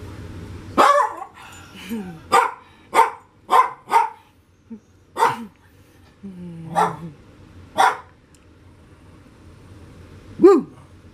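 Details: A Lhasa Apso barks during play on a Friday afternoon, recorded on a Canon PowerShot SX530 HS camera: about nine sharp, clipped barks in irregular bursts, some paired closely, with a softer whine in between.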